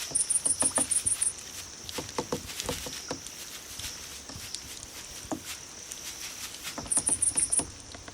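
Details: Grass insects meant to call cats: quick bursts of about eight sharp, very high pulsed chirps at the start and near the end, over a faint constant ringing tone and scattered taps.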